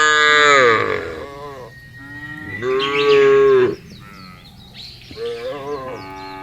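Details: A series of wavering, nasal moos from cows out in a field, each lasting about a second, with faint bird chirps high in the background.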